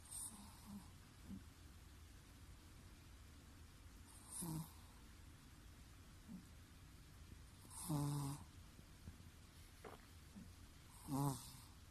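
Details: Sleeping Chihuahua snoring loudly indoors: soft airy rasping snores with a low hum, four snores spaced roughly every three and a half seconds over a quiet hissing background.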